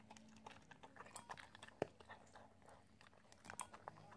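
An Italian Greyhound chewing food, with soft, irregular crunches and clicks in a quiet room.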